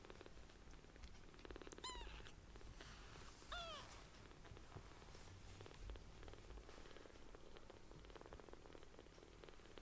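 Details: Small rescued foster kittens purring as they seek affection: a rough, rhythmic low purr underneath, broken early by two clear arched kitten mews around the second and fourth seconds.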